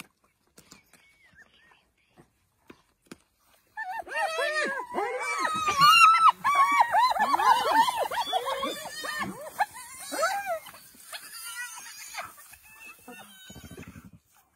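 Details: Dense chorus from wild African spotted hyenas: after near silence, many overlapping arched, yelping notes burst out loudly and continue for several seconds before fading into scattered calls and a low buzzing sound.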